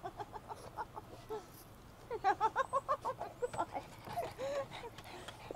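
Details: Excited five-year-old female Boston Terrier, anticipating a pet store outing for toys and treats, vocalizing at her owner: scattered whines build into a rapid run of pulsed, yodelling yips, about three per second, ending in drawn-out wavering whines.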